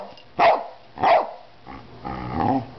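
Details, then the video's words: Two loud, abrupt barks about half a second apart from an 11-year-old female Cardigan Welsh Corgi, kept with another Cardigan corgi aged 8, followed by low murmuring voices and a quieter grumbling sound. "Cardigan Corgi Lilly Barking"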